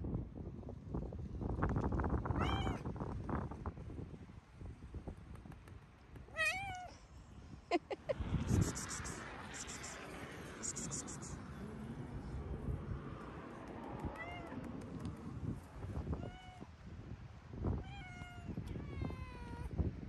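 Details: Calico and tabby street cats on a waterfront embankment at sunset, affectionately running after a person and meowing; about six short, bright, arching meows scattered across the stretch, over low traffic rumble and rustling handling noises.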